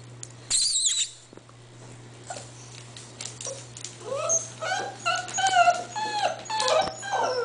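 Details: Eight-week-old English Bull Terrier puppies make soft, high whimpers and squeaks that start after a loud scuffle near the beginning, growing into a busy run of short rising and falling whines in the second half, over a steady low hum.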